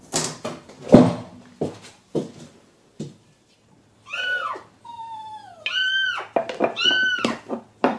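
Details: Trapped kitten Mugi, a timid young male shut inside the wall of a vacant house awaiting demolition, gives loud, high, arching meows in a quick series after knocking and rustling, with one longer sliding cry among them.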